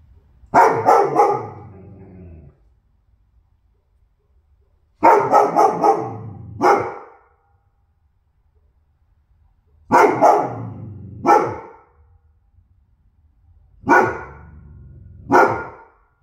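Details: Goldendoodle named Loki, barking on and on: four bursts roughly every four to five seconds, each two or three sharp, loud barks followed by a low growly tail, with quiet pauses between.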